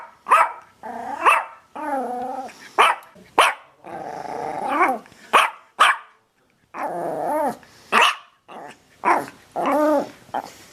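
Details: Dog voicing a busy series of yelping barks mixed with longer, harmonic whining cries that rise and fall in pitch, about a dozen bursts separated by brief silences.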